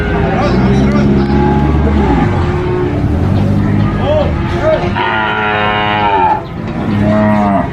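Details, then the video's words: Cattle at an animal market while being unloaded: a run of deep, drawn-out moos, several animals calling in turn, the last calls rising and harsher, against steady background chatter and engine noise. "COW SOUND EFFECT"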